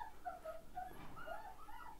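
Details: Month-old Rottweiler puppies, a litter filmed up close indoors, howling one after another: soft, wavering tonal wails sliding up and down, several overlapping voices, with quiet room noise.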